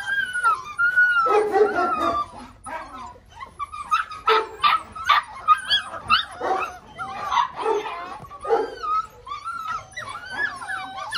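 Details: Litter of six-week-old Belgian Malinois puppies producing sliding, whimpering squeals and choppy yips that come in quick irregular bursts, often overlapping, with a few longer drawn-out whines near the start and end.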